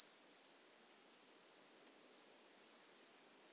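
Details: Song of the two-coloured grasshopper, recorded at Illmitz, Austria, 21 July 2021. A brief burst of high hissing ends, and after a quiet gap of over two seconds another half-second rasping buzz follows.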